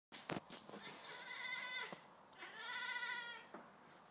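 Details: A Siamese cat chatters at a toy: two drawn-out bursts with a fast, quivering tremble through each, with a few sharp clicks before and between them.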